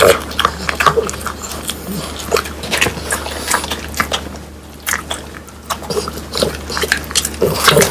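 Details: Whole dried quail, crisp and bony, crunched by French Bulldogs indoors. Sharp, irregular crackling bites with short pauses and a lull near the middle, set against a constant low electrical hum.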